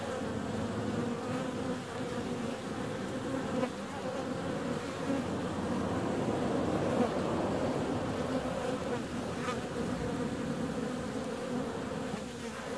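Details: Dense swarm-like humming of honey bees out flying on a warm February day, a full, even drone that builds slightly toward the middle and holds steady throughout.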